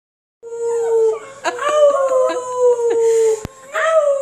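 An Italian Greyhound howls in long, wavering, tuneful notes that slide gently up and down.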